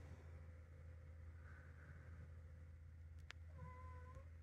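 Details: Mimi, a three-year-old calico pet cat once standoffish and only now getting used to her owner, gives one short, tonal meow near the end, steady and slightly falling, over a constant low hum and a brief click.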